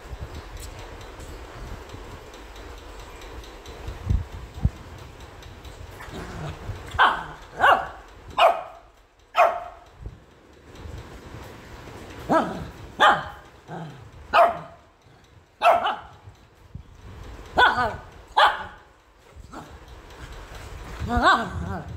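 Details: A Shih Tzu puppy gives a run of sharp, high yapping barks in angry protest at being combed after a bath.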